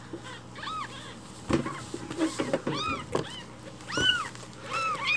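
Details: Several rescued baby kittens clamour for morning milk, calling loudly that they are hungry; dense, arching high meows overlap almost continuously, mixed with thumps and handling noises indoors.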